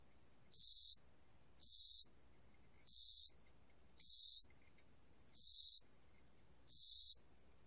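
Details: High, buzzy chirps from a cricket heard in spring and summer, six bursts spaced a little over a second apart, each short and even, with no other sounds.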